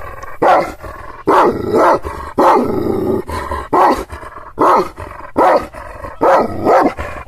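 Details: Aggressive Kangal shepherd dogs in Aksaray, Anatolia, barking at strangers: gruff, throaty barks in irregular clusters, some drawn out almost like roars, with a faint low hum behind.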